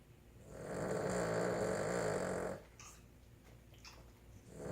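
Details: Snoring Boston Terrier: a two-second grating, vibrating breath, then quieter shuffling and small clicks before the next snore begins to build at the end.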